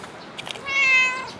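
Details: Cat at Dockyard Garden, recorded on 8 July 2016 in the early morning, giving a single clear, tonal meow that swells and then fades gently, preceded by faint soft ticks.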